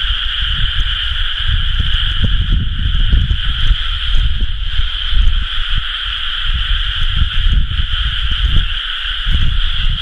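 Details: Frogs calling en masse in rice paddies at rice-planting season, late May 2011; an even, sustained trilling chorus without pauses, accompanied by intermittent low booming wind noise.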